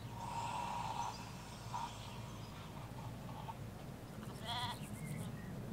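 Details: Flock of ewes and lambs in the Hampshire countryside: a short, bright, vibrating bleat near the end follows a thin sustained higher tone, all set against continuous low road rumble and scattered bird chirps.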